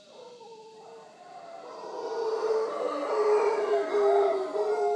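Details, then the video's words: Wild howler monkeys visiting in the morning at Punta Uva, Costa Rica, near the Manzanillo Wildlife Refuge; a droning, hoarse chorus of howls swelling steadily louder over a few seconds. "Howler Monkeys of Punta Uva Costa Rica"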